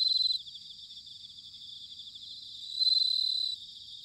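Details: High, bell-like pulsed trills of bell crickets in autumn, Sanuki, Chiba Prefecture, Japan: one burst ends just after the start, a soft trilling chorus continues, then a second strong burst of under a second rings out.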